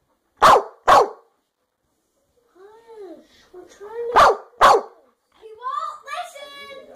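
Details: An American Staffordshire Terrier gives two pairs of sharp, punchy barks, with rising and falling tonal whines between and after the barks.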